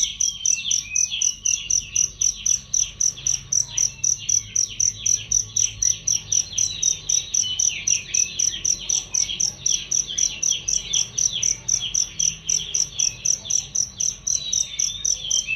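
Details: Cricket sound meant for training songbirds: a loud, clear, high-pitched pulsing chirp at roughly four beats per second, regular and unbroken, overlaid with busy lower warbling and twittering notes.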